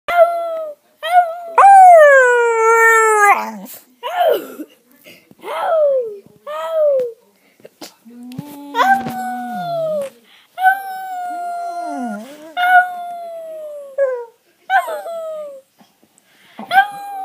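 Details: Pet dog making a talking-like sound resembling the word "Ralph": a series of harmonic, whining howl-like vocal phrases, some rising then falling, separated by short pauses, with a lower growly note midway.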